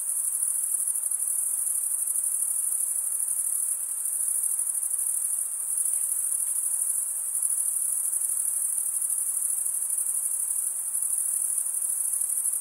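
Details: Male crickets chirp by rubbing wing against toothed wing vein. Here they form a sustained, piercing high trill, even and continuous for the full length, with only slight swells in loudness and quiet hiss below.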